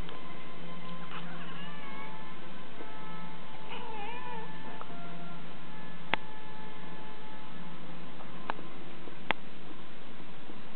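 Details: Indoor house cat complaining as it tries again to catch light reflections thrown by a rotating tealight holder; two wavering, bending meows in the first half, then sharp clicks, over a continuous music-box-like melody.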